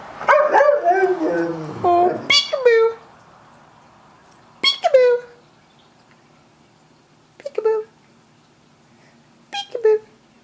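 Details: Almost 14-year-old Siberian Husky vocalizing during a peek-a-boo game with a person. Speech overlaps the opening. After that come short, falling, whining howls spaced a few seconds apart in a quiet room.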